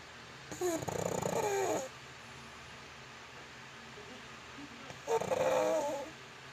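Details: Pug sleeping and snoring: two long, rough, breathy snores about four seconds apart, each lasting over a second, with quiet room noise between them.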